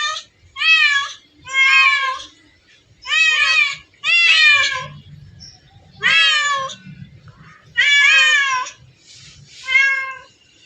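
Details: Domestic cats at a place holding hundreds of them: about nine short, curving meows, some sharply bent downward, others wavering, coming in uneven bursts with brief silences and faint background voices.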